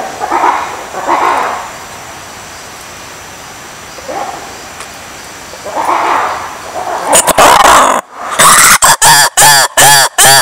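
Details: Lemurs with soft, breathy calls spaced a couple of seconds apart, then a sudden burst of loud, clipped, harmonic barks and yelps in an uneven rapid series.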